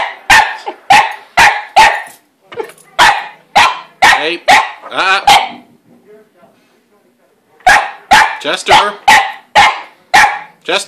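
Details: Pet dog barking at the household cat, which hides in her play house and occasionally bats a paw at him; rapid volleys of sharp, loud barks, a short pause near the middle, then another fast burst of barks indoors.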